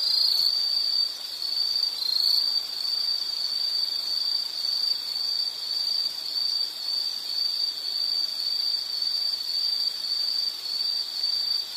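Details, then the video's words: Continuous insect trilling at a single high pitch, about two pulses per second, louder at the start and then steady, with soft hiss beneath and no other clear sounds. "Nature Sound of nature sounds scenery L · insect"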